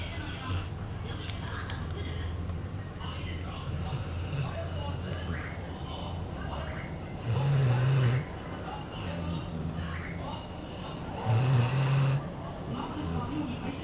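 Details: Maru, a pet cat, asleep in an air-conditioned office on a 36°C day, snoring comfortably: soft, low rumbling breaths swelling roughly every four seconds over a steady low hum, with faint murmurs in the background.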